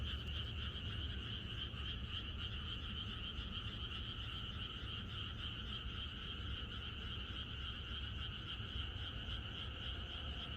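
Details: A chorus of frogs on a rural Korean night before rain: constant overlapping trilled croaks from many frogs form a shimmering continuous band, with heavy low-pitched rumble strong throughout.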